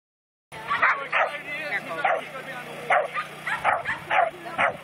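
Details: A 10½-year-old dog at lure coursing practice yips excitedly: sharp, high barks about every half second in a quick series, with people talking nearby.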